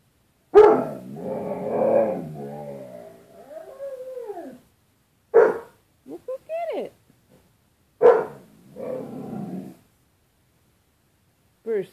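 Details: Bruce Wayne the dog, facing his reflection in glass closet doors as if it were another dog, mixes sharp barks with warbling, rising-and-falling howls and grumbly vocal noises in irregular bursts, separated by short silences.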